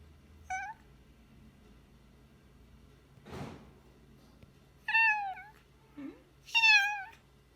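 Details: Former stray cat rescued by a shelter, calling indoors with scattered meows: a short one early, then after a soft rustling thud two louder, longer meows close together near the end, the last one rising and strained.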